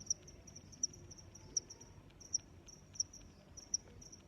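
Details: Loud regular cricket chirps, high and piercing, about one every three-quarters of a second, set against a faint continuous chorus of other insects and soft background rumble.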